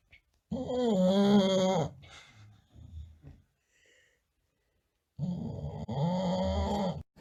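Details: Tired bulldog snoring loud while napping: two long buzzy, wavering snores about four seconds apart, each over a second long, separated by quieter snuffling breaths and silence.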